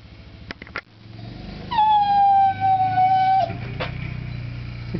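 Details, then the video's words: Border Collie crying indoors, wanting to go outside while snow is being plowed: a long, steady, high whistled whine held about two seconds, preceded by short clicks, over a low engine hum. "Border Collies crying"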